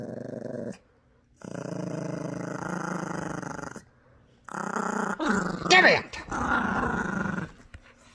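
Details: Protective over her new squeaky toy, Gracie the Yorkshire Terrier puppy growls in long low rumbling stretches during tug-of-war, with a sharp squeak from the toy midway and a person speaking softly.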